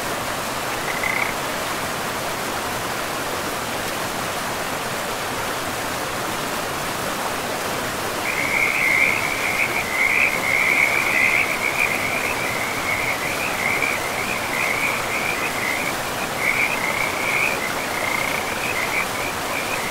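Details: Frogs calling by a river in a pristine forest: a rapid trilling chorus at a steady high pitch, starting briefly, pausing, then running almost continuously through the second half over a constant rush of flowing water.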